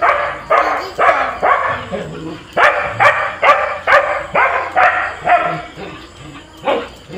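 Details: Pet husky and border collie in Kerala fighting each other. Loud, harsh barks come steadily about twice a second throughout, with a few brief pauses.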